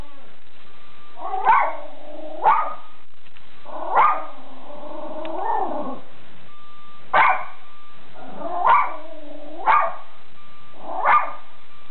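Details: Captain Jack Sparrow, a Schipperke guarding the house, barks about eight times in bursts, with a drawn-out whining, wavering sound in the middle, over a quiet steady hum.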